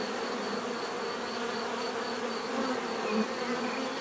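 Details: Bees in a continuous natural buzz, dense overlapping drone with a faint pulsing high tone, loudness swelling slightly toward the end as individual insects pass closer.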